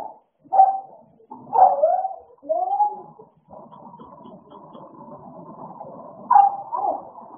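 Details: Two American Bully dogs playing: short sharp barks or yips at irregular intervals, four louder bursts, with a low rumbling growl-like sound filling the second half between them.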